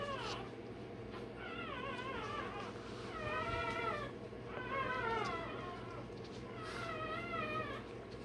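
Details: Day-old Rottweiler puppy getting tail and dewclaws done cries out in four long, high, quavering squeals, each wavering up and down, spaced about every one and a half seconds above a constant low hum.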